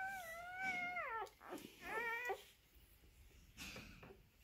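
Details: Newborn Maremma Sheepdog puppy at birth, indoors: two high, wavering whines with a rising-then-falling contour, then fainter short squeaks near the end.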